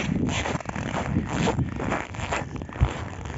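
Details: Scraping, rustling handling noise and a faint murmur of voices are heard, with no animal call present.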